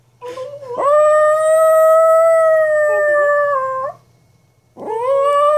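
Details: Atlas, a pet dog, protesting its owner's playful shenanigan sounds. A long, smooth howl rises at the start and holds an even pitch for about three seconds before sliding down, then after a short gap a new howl begins climbing.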